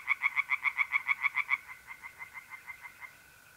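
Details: Singing tree frogs in a pond on an April night in North-East Italy. About ten loud, evenly spaced croaking pulses are followed by softer, quicker ones, over a steady mole cricket trill.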